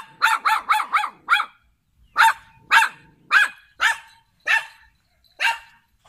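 A poodle barks in sharp, high-pitched yaps, first a quick burst of five and then slower single barks.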